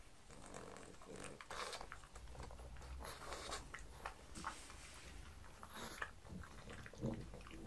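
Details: Indoor breakfast of Mars, a pug, eating croutons and beef bacon. There is steady munching with crunchy bites, some low grunting snuffles and occasional sharper clicks from teeth.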